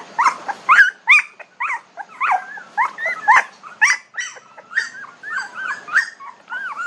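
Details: Young puppies aged 19 days make short, arched yelping whines in an uneven series, some clipped and sharp, others drawn-out and wavering, with several pups overlapping.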